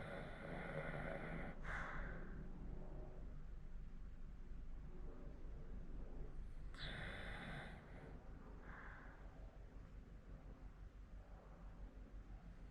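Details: A 14-year-old Hokkaido dog in Sapporo snoring. Two loud, rasping breath bursts about five seconds apart, each with a softer rattling tail, sit over a steady low indoor hum.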